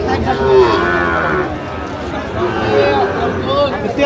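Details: Sahiwal cattle at a crowded cattle market in Gazipur on 4 August 2025, where a farmer buys a Sahiwal bull. A low, drawn-out harmonic moo sounds early on, under steady bargaining voices and crowd chatter.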